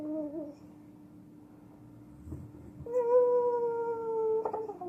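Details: Pit bull named Roger howling in his sleep indoors: a brief wavering tonal whimper, a pause, then a sustained, slightly falling howl of about two seconds with clear harmonics. A steady low electrical hum runs throughout.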